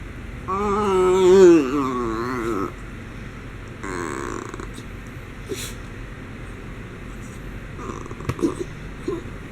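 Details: Indoors during a pampering session, Homer the miniature schnauzer gives one wobbling, tonal whine of about two seconds, followed by quiet room sound and faint rustling.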